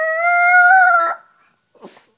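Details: Pet Chihuahua indoors, prompted by its owner to talk, gives one sustained, steady, tonal howl of about a second, rich in harmonics and slightly rising, then a soft short sound; owner's praise follows.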